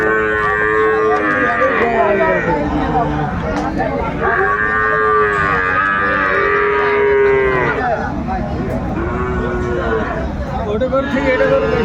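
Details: Sahiwal bull calves at a busy Bangladeshi cattle market at Aftabganj, Saturday 29 December 2024. Repeated arching moos from several animals, roughly one every two seconds, overlapping a constant murmur of crowd and speech.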